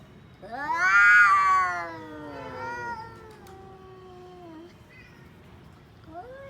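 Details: Orange-and-white domestic cat giving a long, loud wavering yowl that rises then slowly falls over about four seconds, followed by shorter drawn-out moaning notes and a brief upward mew near the end.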